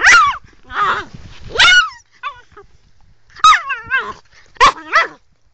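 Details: Angry female Sloughi puppy giving a run of sharp, high yapping barks with wavering pitch, delivered in bursts of one or two with short silent gaps between them.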